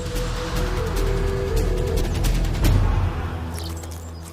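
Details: Low rumbling music with sustained tones and sharp percussive hits and crashes, with no animal voice.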